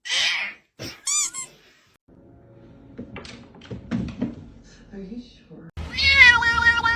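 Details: Domestic cat giving a short arched meow early on, then a longer, steady, harmonic-rich wail at the end, with people talking and exclaiming quietly in between.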